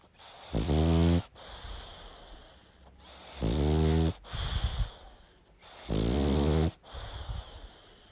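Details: A sleeping pug snoring heavily: three loud, rattling inhalations about every two and a half seconds, each followed by a softer wheezy exhale, with quiet breathing between.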